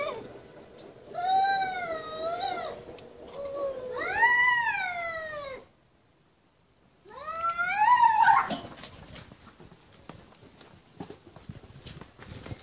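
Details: Angry cats fighting, giving loud drawn-out yowls with rising and falling harmonic wails, two long bouts of about four seconds each, then a third rising howl after a short silence.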